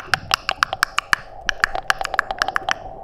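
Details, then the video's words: A curious male sperm whale near divers gives a coda, a rapid series of sharp, dry, evenly spaced clicks, normally used between sperm whales but here directed at a diver to ask for physical contact. "Ce que vous entendez là, ça s'appelle une coda. C'est une expression sonore caractéristique que les cachalots utilisent entre eux"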